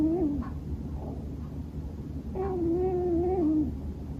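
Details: A male Scottish Fold named Bono sleeps and snores heavily. A short wavering tone is followed by a longer, level, nasal voiced note of about a second, over a low indoor hum.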